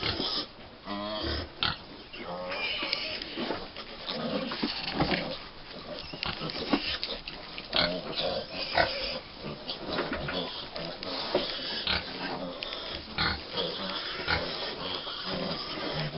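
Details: Five-week-old American Guinea Hog piglets on Wood Prairie Family Farm at breakfast time, giving shrill squeals and quick grunts in irregular bursts, while a man talks over them in a playful voice.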